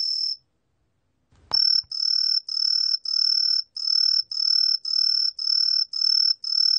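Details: Truljalia hibinonis cricket: a short high tone, a pause and a faint thump, then a steady series of ringing chirps of about half a second each, evenly spaced.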